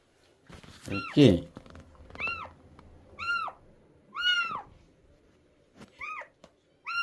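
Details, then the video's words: Stray cat during a rescue, mewing in a small indoor room: several short arched meows at intervals, thin and high-pitched, with a loud thump near the start and faint background hum. "길냥이 구조?"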